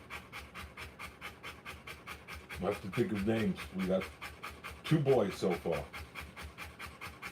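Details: Quick, shallow panting from a Rottweiler in labour delivering puppies, a soft rasping rhythm running throughout while human voices talk over it in the middle.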